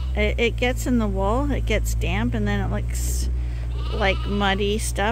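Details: Lambs at Ewetopia Farms being bottle fed from a hand-made feeder, which supplements what their mothers provide: several wavering, quavering bleats overlap continuously over a steady low machine-like hum.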